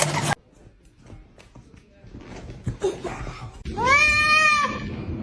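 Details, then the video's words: Domestic cat from a funny cat-fighting compilation giving one loud, drawn-out meow that rises and then falls, following a near-silent stretch with faint rustles and a brief burst of noise at the start. "funny cats fighting"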